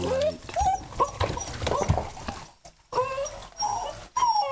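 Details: Brief upward-bending whines, three or four of them, from a male low-mid content wolfdog named Mercy at his first bath, among splashing and a person talking softly.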